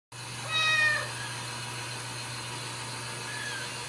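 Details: Ragdoll kitten raised indoors without cages at a home cattery in central Kansas, giving one short, clear meow that rises slightly and falls, over a steady low electrical hum.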